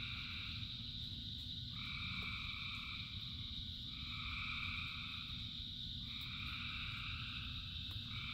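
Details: Many frogs sing through steady rain: buzzing trills overlap in long pulsing waves, each lasting two to three seconds, with a continuous hiss and low rumble of rainfall beneath the chorus.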